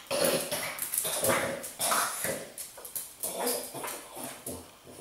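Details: French Bulldog confronting a blueberry, giving a run of short, breathy whimpers and snuffly yips in quick bursts, with brief pauses between them and a faint hiss behind.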